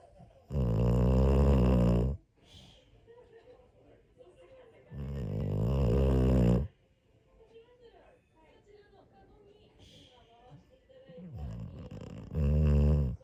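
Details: A Pit Bull sleeping on New Year's morning snores repeatedly: loud, low, rattling snores roughly every four to five seconds, each lasting over a second, with soft breathing sounds in between.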